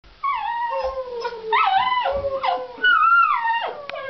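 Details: Miniature Pinscher Harley gives high, wavering whines that slide downward in pitch, excitedly greeting a family member coming home for the weekend, wiggling his rear.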